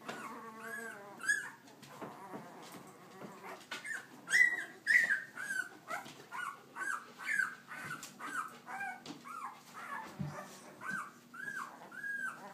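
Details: Young puppies of a dog named Leia, walking about, keep up a busy series of arched, high whimpers and yips, roughly two per second, each rising then falling, over a faint constant hum.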